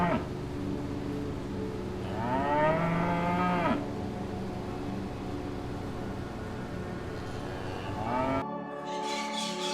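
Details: Gentle cow on a farm, from a relaxing farm-sounds compilation: a single drawn-out moo of nearly two seconds that rises then levels off, over soft steady background music, with a brief harsher sound near the end.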